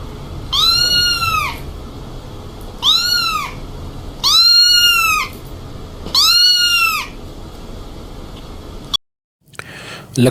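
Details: A pet cat gives a run of four similar meows, each rising and falling in a smooth arch with strong harmonics, spaced roughly every one and a half to two seconds, then a brief thump near the end.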